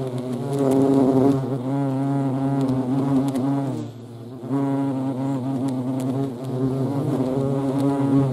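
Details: European hornets (Vespa crabro) in action: a steady, low droning buzz with a rich stack of harmonics, easing briefly near the middle before swelling back to full strength.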